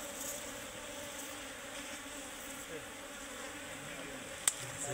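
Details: A tree-dwelling colony of Serena honey bees drones softly and steadily while their nest is cut out, with a sharp tap near the end and faint talk.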